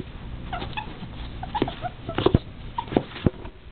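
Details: Two male pet ferrets, Puck and Pan, adopted together from a shelter, wrestling hard indoors; Pan gives short, clipped squeaks in quick bursts, mixed with thumps and scuffling from the tussle.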